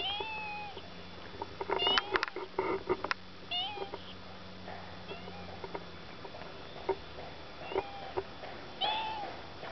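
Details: Domestic female cat sitting on a hill behind a house after hearing the car arrive, 17 June 2011; clear drawn-out meows at the start, middle and end, a low steady hum, and faint human voice between calls.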